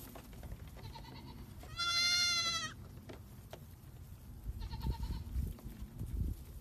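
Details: Baby goats jumping around and playing: one loud, drawn-out, wavering bleat lasting about a second, flanked by two shorter, fainter bleats, over a low rumbling background with scattered clicks and knocks.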